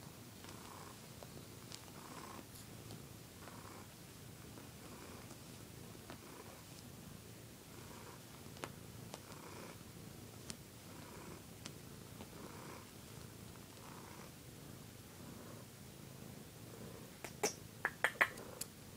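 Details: A pet cat purring during its bedtime ritual indoors, a low, steady rumble pulsing in soft waves about once a second, with a few sharp clicks and taps near the end.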